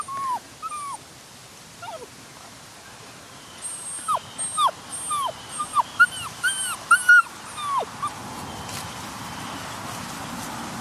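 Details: Doberman Pinscher puppy Apollo, from champion European bloodlines, whimpering: thin, high whines that slide downward, some in quick pairs, coming in clusters that grow denser and louder mid-clip before tapering off over faint background hiss.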